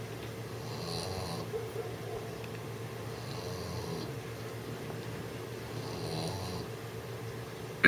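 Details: A 6-month-old English Bulldog snores while trying to sleep, in slow, rasping breaths, each rumbling snore repeating about every two to three seconds.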